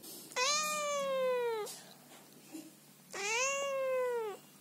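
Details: Scolding Scottish Fold cat, a female that came to her owner's bed at night but resented being cuddled, gives two loud, sustained, complaining meows over a second long each, steady then gently falling, in a quiet room.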